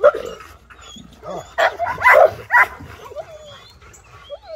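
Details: Rottweiler challenged by a visiting armadillo; a rapid run of loud, rough barks in the middle, then fading, with faint thin whistled tones near the end.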